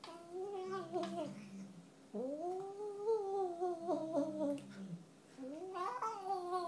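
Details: Cross-eyed chocolate point Burmese cat vocalising while eating indoors: three long, arching, moaning cries that swell upward then sag, each about a second or more, separated by short pauses.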